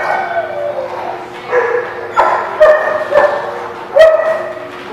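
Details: Barking at The Barking Lot on 11 September 2017: a run of harmonic yips and barks rising in intensity, with a steady background murmur beneath the louder barks near the end.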